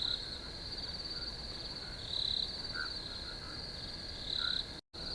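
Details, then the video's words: Crickets in a natural setting keep up a constant high trill, rising into brief louder chirps about every two seconds, with a short silent gap near the end. "RELAX TO THE SOUNDS OF NATURE CRICKETS"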